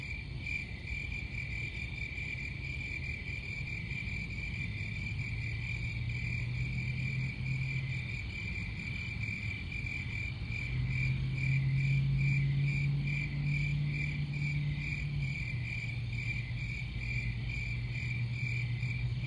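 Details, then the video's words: Crickets trilling in rapid repeated pulses, about three or four a second, holding a steady high tone above a low humming drone that swells midway. "Crickets Sound"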